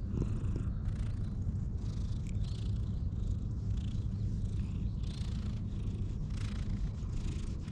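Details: Continuous deep purring from a stray cat that is normally cautious of humans, recorded close on a GoPro during brushing; the low rumble holds steady under soft, hissing brush strokes and faint rustling.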